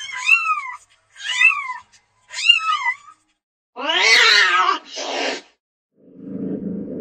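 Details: House cat, among cats playing and lazing, gives three bright arched meows in quick succession, then a long, loud, harsh yowl and a noisier follow-up cry, ending in a soft low purr.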